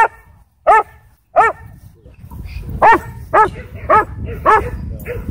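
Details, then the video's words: Sheriff's K-9 Belgian Malinois in a Texas county, barking aggressively while trying to attack at a dog park: sharp harmonic barks, two early then a run of five spaced about half a second apart, over low background rumble. "Sheriff's K-9 Belgian Malinois Tried To Attack Me At Dog Park"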